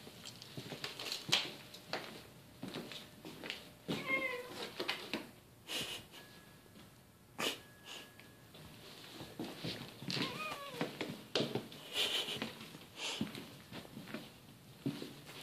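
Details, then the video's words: Domestic cat, a female pet wanting attention indoors, gives several short rising-falling meows spaced a few seconds apart, mixed with clicks, rustling and handling noises in a small room. "Cat wants attention"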